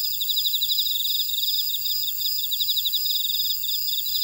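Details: Field insects calling in a buckwheat field in Ora-dong, Jeju City, South Korea: steady stream of fast, pulsing high trills layered over a shrill, unbroken background whine from the wider chorus.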